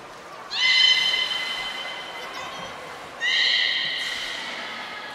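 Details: Beluga at Port of Nagoya Public Aquarium on 18 February 2024, during fish-eating and play time: a pair of bright, nasal, whinny-like squeals with layered overtones, the second starting about 2.7 seconds after the first, both trailing off slowly.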